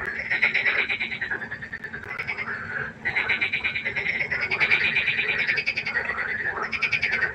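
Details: Chorus of many frogs at night by a pond: dense, overlapping bursts of rapid rattling croaks that swell and fade in waves every second or two, with the pulses running together into a continuous trilling din.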